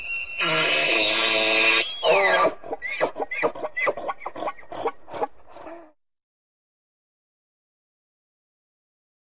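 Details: A North American elk (wapiti) bugles, a long harmonic squeal that slides down into a run of rhythmic grunting chuckles.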